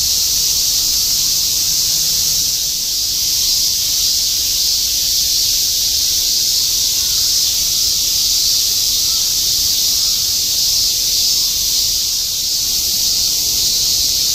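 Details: Continuous chorus of many cicadas in Shinjuku, Tokyo, summer 2016, the so-called semi-shigure; a dense, unbroken shimmering buzz fills the upper range and holds a steady level throughout, with faint low city rumble beneath.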